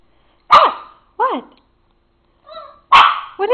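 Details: Papillon dog in a jumping barking fit indoors over tomatoes on a kitchen counter; sharp high barks and short whining yelps in bursts, with a person's voice briefly mixed in.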